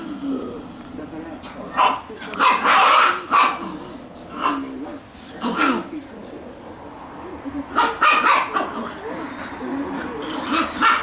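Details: Shiba Inu puppies playing chase; scattered short yips and barks over rustling and scuffling, with a person's voice mixed in.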